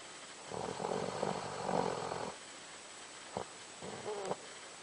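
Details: A sleeping Doberman dog, said to snore like a man, gives one long rumbling snore of nearly two seconds, then two short snorting breaths later, over a quiet hissing background.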